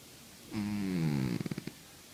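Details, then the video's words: Sleeping cat snoring: one drawn-out, low, buzzy breath that slides slightly downward and ends in a rapid rattle of short pulses, in a quiet room. "50 shades of snoring Cats"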